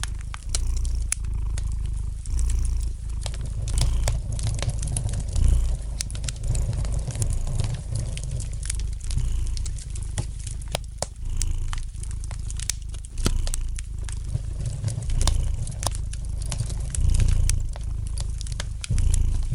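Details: Domestic cat giving a long, gentle purr beside a crackling fire, a low rumble steadily swelling and subsiding about twice a minute's worth of breaths, with brittle pops and snaps from the flames sprinkled throughout.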